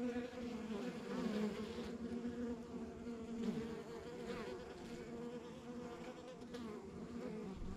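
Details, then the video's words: Honey bees at a rural backyard beehive, a steady low droning hum with strong bands near the bottom, many bees overlapping into a dense continuous buzz with slight swells in loudness. "Relax to the Sounds of Our Backyard Buzzing Beehive"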